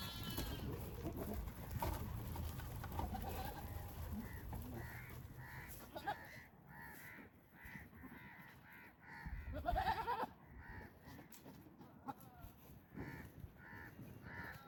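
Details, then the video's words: Goats in mating season, where males court pregnant females with strange sounds, gentle touches and competition. A wavering, rising bleat stands out near the end, over outdoor rumble and a run of repeated harsh caws from other birds. "Romantic Goat Battle: Strange Sounds"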